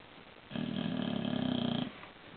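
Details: An asleep bulldog gives one long, loud, buzzy snore of just over a second, rough and rattling with a steady pulsing texture, followed by quiet breathing in a small room.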